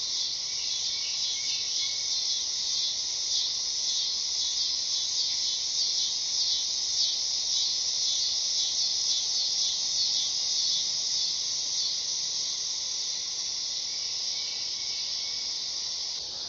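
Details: Loud, buzzy dog-day cicada song, a high continuous drone with a fast wavering throb that eases slightly toward the end, over a faint steady lower hum.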